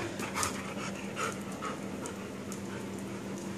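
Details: A 3-year-old Australian Shepherd and a 7-month-old puppy play together after living with each other for only one week. Breathy, rhythmic panting bursts come about twice a second, steady and close, over a faint background hum.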